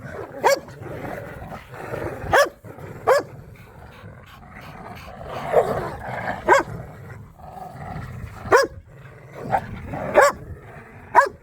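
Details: Pit bulls and a Malinois wrestling over a squeaky toy in a yard during a tug-of-war game: steady snarling growls underneath, punctuated by about ten sharp toy squeaks at irregular intervals.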